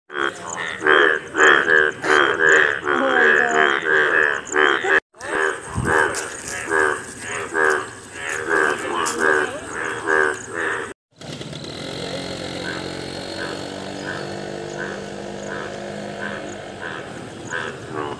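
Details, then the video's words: Yellow Indian bullfrog calling: rapid series of loud, harsh, pulsed croaks repeated about once a second, in two runs broken by brief silences, followed by a quieter steady stretch with faint regular pulses over background noise. "Yellow frog wonderful Indian bullfrog( video and sound )"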